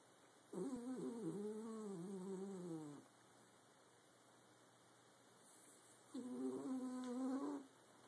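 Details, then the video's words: Sleeping dachshund snoring indoors, two long nasal snores with a whining, harmonic tone, the first lasting about two and a half seconds, the second about one and a half, separated by quiet, over a steady faint electrical hum. "My dachshund snoring like a big dog!"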